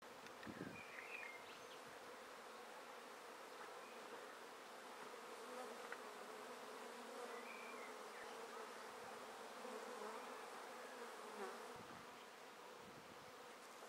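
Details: Honey bee swarm being taken from a tree directly into a swarm basket: a dense, steady drone of many wings with a strong hum near the low-middle range, continuous throughout with faint higher whines of single bees passing.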